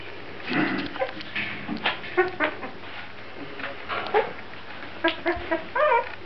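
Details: Grand Basset Griffon Vendéen puppies from the Viersenhoeve kennel give short, high, whining yelps in scattered bursts, several overlapping near the end, over a steady low background hum.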